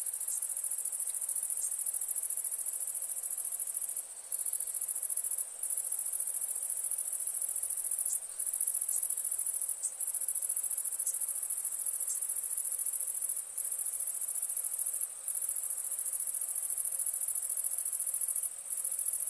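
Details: A soft, unbroken, very high-pitched shimmer of crickets at night in India, a dense continuous trill with occasional brief dips, and no other sounds.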